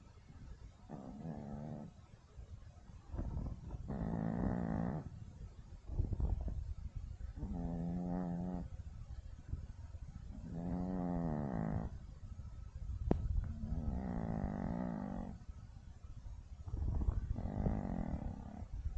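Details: Yorkshire terrier dog with very loud snoring: a long run of rough, rattling snores about every two to three seconds, some with a nasal whistling tone, over a steady low rumble.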